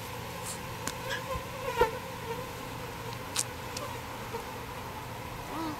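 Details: Bees in a birdhouse being rescued and transferred to a proper bee box: a continuous low hum of buzzing with brief scraping clicks and knocks from the work scattered through.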